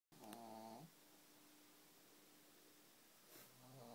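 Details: Pug relaxing indoors, snoring in rough, wavering snorts; one breath sounds in the first second and another begins near the end, with a quiet hum between them.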